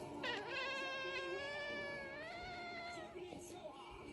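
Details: Domestic cat giving an unusual meow: a long, drawn-out tonal wail that wavers and rises slightly, then fades over about three seconds, with faint music in the background.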